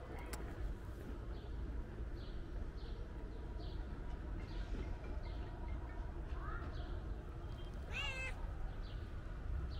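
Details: Calico cat meowing loudly as though wanting to tell its owner something; a short meow is followed by a longer wavering harmonic meow near the end, amid continuous low background rumble and faint high chirps.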